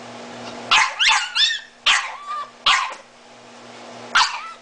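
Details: Miniature Italian Greyhound, blind and disabled, crying out for its owner with four separated yelping bursts, each breaking into a bending, mewling whine, while a woman asks where its mommy is.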